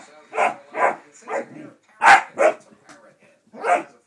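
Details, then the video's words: Excited pet dog barking wildly at home while its owner hides his head; short, harsh barks come in an uneven series, about six in four seconds, with brief pauses between them. "Crazy Dog"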